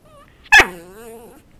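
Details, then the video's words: Pet dog that knows eight tricks, learning to bark on cue when chicken is held above him: a single loud bark sliding into a long wavering whine, quiet indoors. "Bowzer speaking for chicken"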